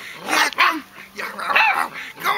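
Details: Puppies of a D litter, 31 days old, from parents Abintu Gesha van 't Brökske and Chien-D'or Shanuy de Damacan, give a quick run of high, arching whimpers and yelps over about two seconds, with a steady thin high tone behind.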